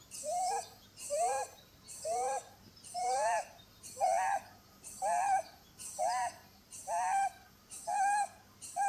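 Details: Sleeping Holland Lop rabbit named Blueberry snoring with a whistling tone: a tonal wavering note on each breath, repeated roughly once per second in a steady rhythm, each followed by a soft hiss.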